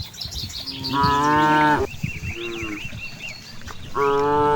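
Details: Cows grazing in a large rice field moo repeatedly: a loud harmonic call near one second long, a softer lower moo, then another loud call starting, with birds chirping in the background.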